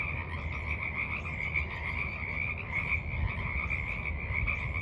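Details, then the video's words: Chorus of frogs at a forest pond in the evening, March 28, 2023: continuous rattling, pulsed calls from many animals layered together, level and unbroken, with a low rumble underneath. "Evening Frogs Croak in the Mud"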